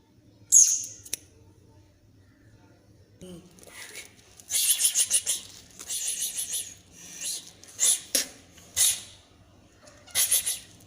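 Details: Scared kitten hisses repeatedly at the person filming: an early sharp spit, then a run of breathy, airy hisses in quick bursts, some in clusters, over faint indoor background.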